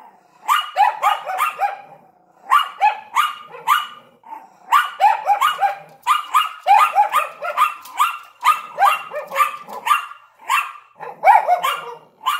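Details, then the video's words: Nearly unbroken barking from a Yorkshire Terrier and Lhasa Apso at a window: fast strings of sharp, high yaps packed together, broken only by short pauses, continuing throughout. "Yorkshire Terrier and Lhasa Apso Barking in the Window"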